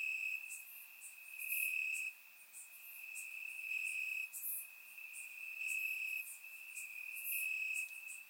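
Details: Night chorus of crickets in Bulgarian grass on a warm summer evening, recorded in surround sound: one continuous shrill tone, briefly broken, beneath irregular bursts of higher, raspier chirping.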